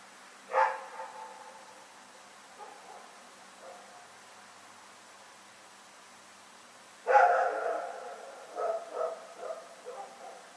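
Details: Rex, a dog, barking in the night, recorded on February 27, 2018: a single sharp bark near the start, faint soft sounds after, then a louder burst of two or three barks trailing into quieter yelps at the end.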